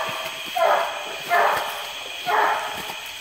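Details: Treeing Walker Coonhound baying at a tree in a flooded wooded swamp near Porter Bayou, Indianola, Mississippi, July 12, 2016, after rain; three muffled, drawn-out barks about a second apart, with a constant high hum behind.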